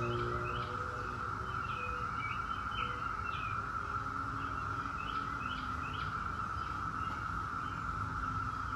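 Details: Seventeen-year periodical cicadas of Brood X produce a continuous droning wall of sound while several birds add quick rising chirps and short whistled phrases over the top.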